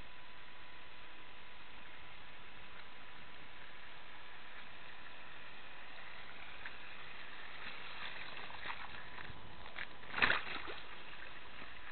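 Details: Faint low rumble of still outdoor air with a steady thin tone, then a short splashy burst near the tenth second.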